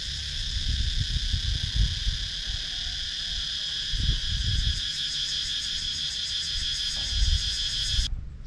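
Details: Rural woods of Sakon Nakhon, Thailand, full of cicadas: an even, high-pitched buzzing wall of sound with a rapid pulsing edge, over low rustling thumps, cutting off abruptly just after eight seconds. Captured on a GoPro Hero 9.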